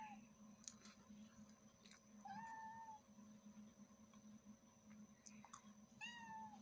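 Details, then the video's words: Kittens with their mother, meowing: a few faint, thin mews, including a short rising-falling one at two seconds and another near six seconds, amid rustling clicks and a steady low hum. "Cute cat and kittens meowing loudly"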